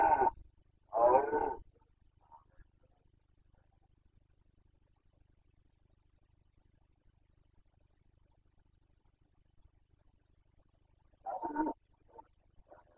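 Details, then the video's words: Carpathian red deer stag roaring during the 2021 breeding season in Bucovina: two short hoarse roars at the start, a long quiet gap, then one more brief roar near the end. "Boncănit / Carpathian stag Breeding season 2021"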